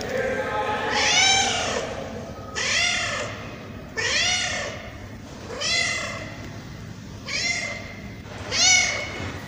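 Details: Tabby cat repeating plaintive meows about every one and a half seconds, each call swelling then dropping in pitch, rich in overtones over a steady low hum.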